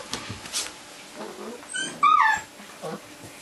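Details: Old English Sheepdog puppies, 35 days old, filmed about seven to eight years ago; one brief high squealing whimper that rises then falls, amid a man's quiet Korean speech and soft handling noises.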